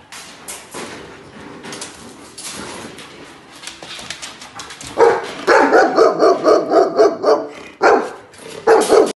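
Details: Saddle, a Bernese Mountain Dog a few weeks into a year-long training course, lets out rapid, repeated yelping barks of about four per second in the latter half, after quieter indoor rustling and handling sounds.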